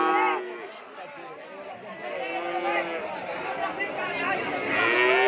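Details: Madrasin calves, a Madura crossbreed, being looked over for sale; a drawn-out moo opens the moment and another rises at the end, with steady crowd chatter and voices filling the gap between.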